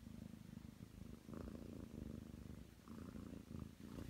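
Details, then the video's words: Ragdoll cat aged nine months, kneading on its owner's bed, gives a deep rhythmic purr, the rumble rising and falling with each breath, recorded close up indoors. "[Ragdoll cat] 애교 부릴 예정이니 빨리 준비하라냥! フミフミしたいんで早う横になれ😾"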